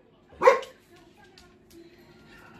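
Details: Labradoodle greeting its returning owner with full-body wiggling, letting out a single short bark, followed by quiet room sound.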